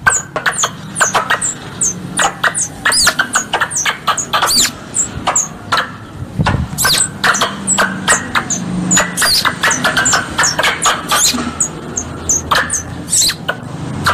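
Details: A squirrel gives rapid, sharp, high chips and squeaky chatters in dense, overlapping bursts. This is a three-in-one squirrel call used as a hunting lure. Finding: squirrel.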